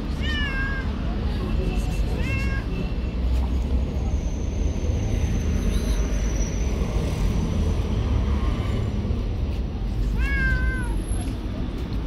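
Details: Long-haired tabby stray cat living on the street gives three short meows, each a bright falling tone with stacked overtones, spaced several seconds apart over a steady low rumble of traffic.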